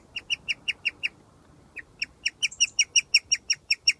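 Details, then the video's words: A guinea pig outside under its cage in summer gives a rare chirping song of quick, bird-like, high notes, repeated several times a second, which means it is very happy. "Guinea Pig Very Rare Happy Chirp Noise - Cuthbert."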